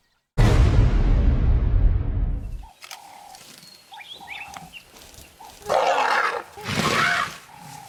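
A young African elephant gives a deep, rough roar, then two harsh, strained screams.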